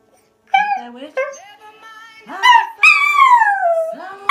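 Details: Scottish Terrier singing along to an Adele song: wavering tonal howls, rising then sliding down in long drawn notes, with a woman's voice praising him afterwards.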